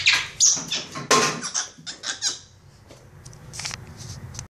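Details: Capuchin monkey Instinct kept as a pet, play fighting a toy monkey and laughing: high, thin squeals and chirps bunched in the first two seconds, then sparser faint squeaks trailing off in a small room.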